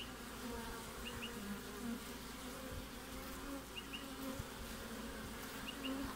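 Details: Winter activity in front of a honey bee hive in Australia, recorded 20 June: continuous low buzzing of many bees, with short louder drones as individuals fly past, and faint high paired chirps recurring every two seconds or so.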